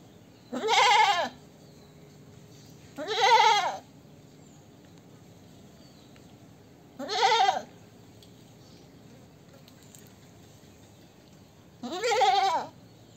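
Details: Goat bleating four times, each call a loud, wavering, nasal cry lasting about half a second to a second, spaced roughly two to four seconds apart, over a quiet, faintly hissing background.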